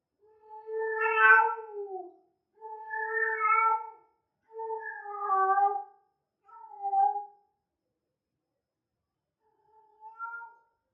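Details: Calls of a female cat in heat, possibly Persian: five long, tonal meows, each one to two seconds, with the first loudest and later ones shorter and softer, spaced by short silences.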